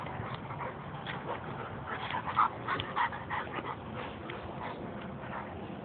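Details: Two pet dogs, an Italian sheepdog and a black Labrador, wrestling indoors; short whimpering yelps and yips break out irregularly, loudest around the middle, over a steady background hiss.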